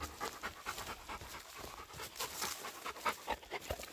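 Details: Dog panting during a mountain woodland walk in South Korea, where a husky tracked a pregnant deer while a Labrador retriever stayed with the walkers; quick rhythmic breathy huffs, about one every two-thirds of a second, with faint rustling.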